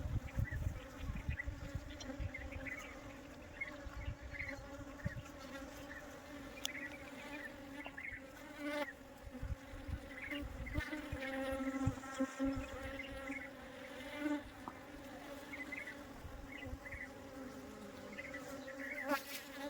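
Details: Swarming honey bees, collected by a beekeeper to be put back into the hive, make a dense continuous buzz with layered overtones. Irregular low knocks and rustles from handling run through it, with scattered short chirps overhead.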